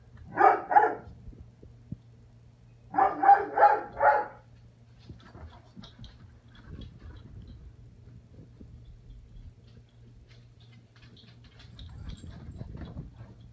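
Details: Ana, a foster puppy, yaps during play with the cat: a quick pair of barks, then a tight run of four, followed by quiet with soft shuffling, faint scrabbling and a low background hum.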